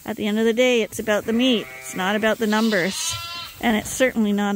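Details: At Ewetopia Farms, lambs on a hand-made bottle feeder, topped up twice a day, give drawn-out bleats that rise and fall, each call repeating with brief gaps.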